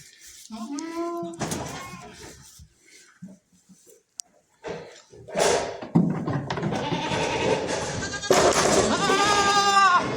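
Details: Goats on a farm, young kids playing while their mothers eat; short harmonic bleats early on and a longer wavering bleat near the end, over background music, a person talking and scattered knocks.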